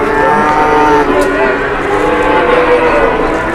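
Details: Cattle lined up at the weighing scale in Indonesia: a few long, steady moos overlap, some holding a level pitch, over continuous crowd and yard noise.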